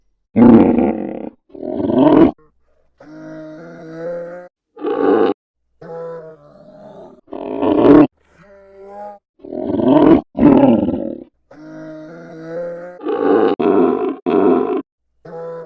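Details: Polar bear calling over a long sequence: harsh, grunting roars repeated every second or two, interspersed with quieter, sustained tonal moans, with brief silences between bursts.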